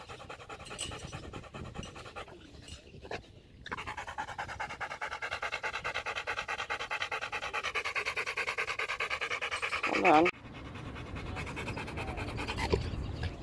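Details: Panting from Macho, a Rottweiler, in a fetch session: quick, breathy huffs about three per second, with a tonal drone underneath and a sharp loud burst near the end.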